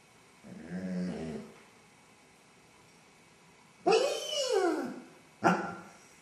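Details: Basset Hound left home alone and anxious after its owners leave: a quiet, wavering whine, then a loud arching howl that rises and falls over about a second, ending with a short sharp bark.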